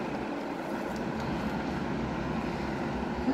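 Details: Continuous rumbling engine-like noise, broad and steady throughout, with no clear animal voice.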